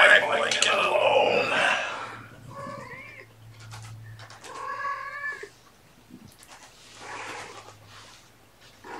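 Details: Five young kittens, born April 14, with their mother Gamora during afternoon play time indoors on 29 May 2018. Short harmonic meows rise and fall twice in the middle, after loud human talking at the start, with a low steady hum beneath.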